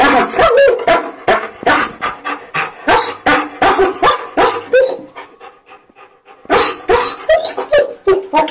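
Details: German Shepherd crying during a bath, rapid repeated whimpering yelps about two to three a second, a short pause, then more whines, with splashing water.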